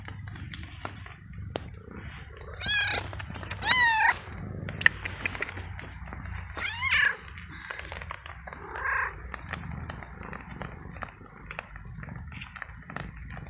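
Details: Wet, abandoned stray cat, a male, fed treats and kibble in the rain after following his caretaker; he meows a lot, perhaps from the cold. Several short arched meows in the first seconds, then a softer one, over rain-like noise and clicks.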